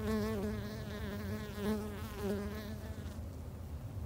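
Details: Japanese honey bees kept in a garden hive by a beginner beekeeper in Japan; a close, wavering flight buzz with rich overtones swells in repeated passes for about three seconds, then fades into low background rumble.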